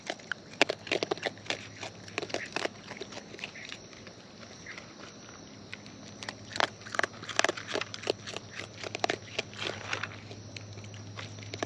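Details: Wild raccoons eating close up, with dense crunchy chewing: rapid sharp clicks and crackles in uneven bursts, quieter stretches between them, and a steady low hum throughout.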